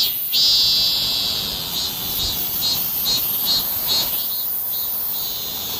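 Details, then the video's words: During a summer heatwave a cicada starts abruptly into a loud continuous shrill buzz, which then breaks into a series of pulsing throbs over a constant high hiss. "#폭염 #매미소리"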